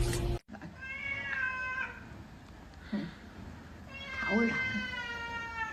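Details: Domestic cat meowing indoors: two drawn-out, tonal meows, the first steady and the second swelling then fading, separated by a short human voice, over quiet room noise after an abrupt loud opening burst.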